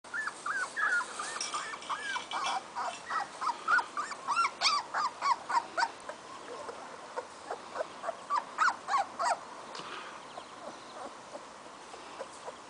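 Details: Indie, a female Weimaraner puppy not yet brought home, gives high, squeaky cries in quick succession, about three a second, each short and slightly arched, with a faint rustling background.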